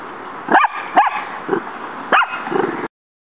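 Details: A female dog called Muñeca, squaring off in her yard against a praying mantis that strikes back. She gives five quick, excited yips and barks at uneven gaps of roughly half a second, some louder and higher, others muffled and low, over a constant hiss.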